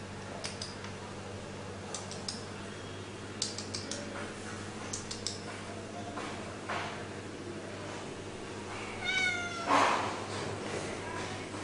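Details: Friendly stray cat that came to a house and meows all the time, giving a drawn-out, wavering meow near the end, preceded by faint short sounds, all over a steady low hum and broadband background noise.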